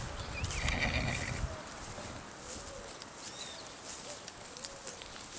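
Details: Foals whinnying during a TACA training exercise: a short harmonic neigh near the start with a loud low rumble underneath, then quieter faint calls and hoof clip-clops over steady outdoor background noise.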